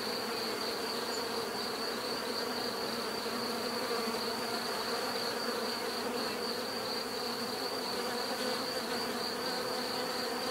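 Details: Continuous natural buzzing of many bees, an even layered hum with no breaks, over a fixed high-pitched whine that stays level the whole time.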